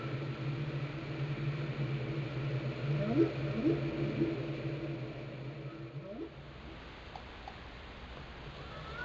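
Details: A whale sings underwater in Glacier Bay, Alaska, recorded by the National Park Service and NOAA. Several quick low upsweeping cries around three to four seconds, another at six, then faint high chirps over a fading low hum.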